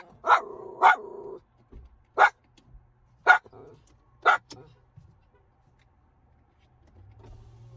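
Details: Waiting in the car, Ginger the miniature schnauzer fires off five clipped barks, the first two close together, then spaced about a second apart, before a low hum takes over at the end.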